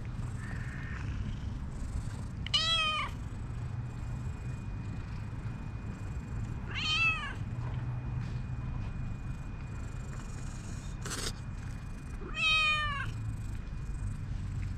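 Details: Calico cat calling sweetly, its voice luring a black cat over; three distinct falling meows spaced roughly four to five seconds apart, with a faint steady tone and low hum underneath.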